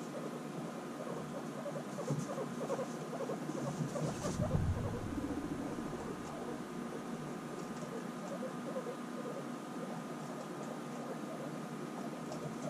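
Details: Guinea pigs reunited after six months apart, bonding intensely: low, rapid pattering rumbles run steadily beneath scattered short squeaky chirps, with a louder burst near the middle and a faint steady hum throughout.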